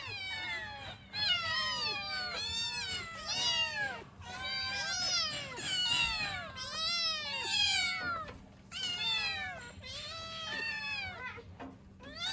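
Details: Several kittens calling for their mother, possibly cold or hungry: dense overlapping high meows, each an arched harmonic cry, coming in quick bursts with little pause across the whole stretch.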